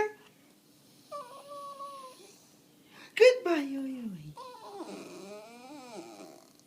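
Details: Kiku, a pet dog indoors, protests its owner leaving the house: a level whine held for a second, a loud sliding cry that falls steeply in pitch, then wavering, warbling whimpers. Faint speech sits at the edges.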